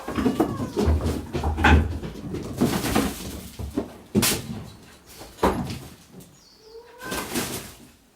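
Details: Rescued kittens from Awaji Island, Japan, kept together indoors; a few short, thin meows, one rising then falling near the end, break through heavy rustling, scuffling and sharp knocking thumps of the kittens moving about the room.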